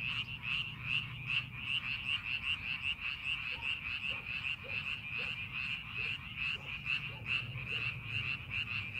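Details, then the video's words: Rice-paddy frogs during farming preparation, a thick chorus of fast repeated croaks around two per second, with a second, lower and softer caller adding short regular notes in the middle part. "농사준비하는 논에서 개구리 울음소리"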